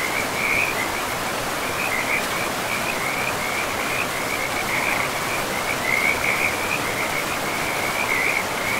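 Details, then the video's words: High, buzzy frog trills pulse on almost without pause, brightening in a few louder bursts, set against the constant hiss of a river running through moss-covered forest. "River and Frogs sleep sounds"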